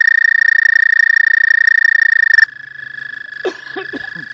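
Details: ["Spring's first frog callers at a pond, recorded by phone: a loud, evenly pulsed trill for over two seconds stops abruptly, leaving a fainter distant trill with a few soft low knocks."]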